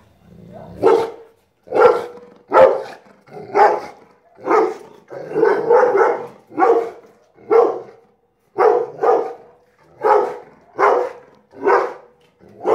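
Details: Rottweiler barking on seeing a kite: loud, deep, hoarse barks, about fifteen of them, mostly singly and sometimes in quick pairs, roughly one each second, with short silent gaps between.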